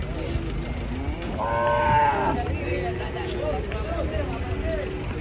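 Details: Restless cattle coming down off a truck: a short harmonic moo near the middle, surrounded by low rumbling noise, vehicle sounds and men's voices.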